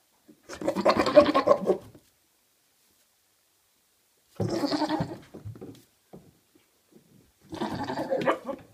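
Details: Maine Coon cats, a father and son, likened to goats: three drawn-out, bleating, harmonic-rich calls, the first about a second and a half long, the next two shorter, separated by pauses of several seconds.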